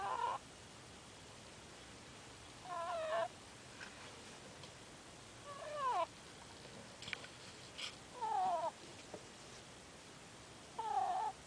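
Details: Sleeping pet ferret snoring: short, nasal, whistly squeaks that slide up and down, one with each breath, roughly every two and a half seconds, in a quiet room with faint hiss between them.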